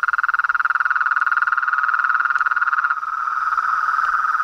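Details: Frogs and toads in a rapid pulsed trill, about four pulses a second, blending into a denser continuous chorus in the second half.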